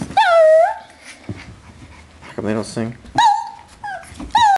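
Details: Two Shih Tzus, Cheyenne and Charmane, singing together, dated 01/12/08; drawn-out tonal howls that dip then hold steady, coming in three bursts, with a person's voice briefly heard between them.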